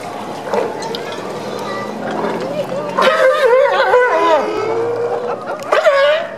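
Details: Sea lions at Newport, Oregon, on 31 January 2015, giving hoarse, wavering harmonic barks that overlap and rise and fall in pitch, loudest in the second half, with a steady low background rumble.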